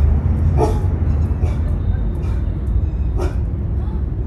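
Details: A Rottweiler aboard an aeroplane gives a few short, gruff barks over a steady low engine rumble.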